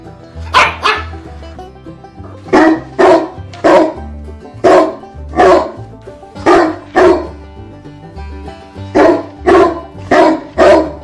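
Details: Labrador Retriever barking in loud, sharp bursts, mostly in pairs and triplets about half a second apart, over a steady backing of music throughout.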